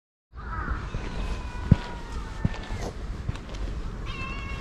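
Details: Community stray cats checked on for their safety, several faint harmonic meows, one long and steady near the middle and another toward the end, over low rumbling background noise and a few thuds.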